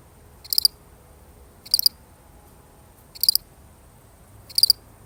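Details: A lone cricket chirping in a real recording: four crisp, high-pitched pulsed chirps about every one and a half seconds, with a faint steady hum beneath.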